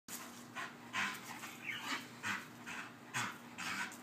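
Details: Female Bull Terrier excitedly chasing her squeaky toy; rapid breathy panting bursts repeat roughly every half second, with faint thin squeaks mixed in and a low steady hum underneath.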